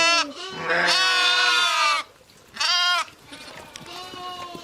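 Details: Sheep bleating, ewes with lambs: one long, quavering cry of about two seconds followed by a shorter bleat, then fainter calls in the background.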